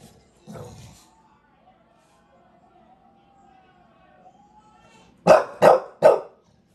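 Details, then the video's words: Bulldog in New York City during a long vocal rant: a sustained, wavering moaning whine lasting several seconds, followed by three sharp, loud barks in quick succession. "Part 2 of the 15 minute rant"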